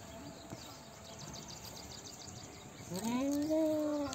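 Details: Goat giving a single drawn-out bleat that rises at the start and then holds a steady, nasal tone for over a second, following a stretch of quiet outdoor background noise.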